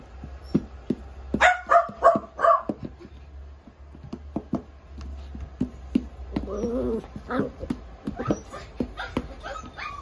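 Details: Miniature Dachshund giving a burst of short, high yipping barks, then a softer, wavering whimper. Faint clicks and light handling noise run throughout.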